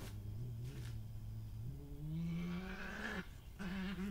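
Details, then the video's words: Badger growling during a territorial confrontation, a dominant resident female named Hattie discovering an intruder on her patch, recorded 20/05/2018; low sustained growls with steady tonal bands, rising in pitch midway and ending in short repeated bursts. "Resident badger attacks intruder badger - with sounds"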